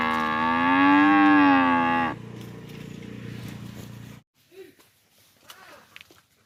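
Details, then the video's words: Village farm cow giving a loud, long, steady moo lasting about two seconds, with a slight rise and fall in pitch, then fading into a lower rumbling murmur and quiet background noises. "Humboo Humboo Cow Sound"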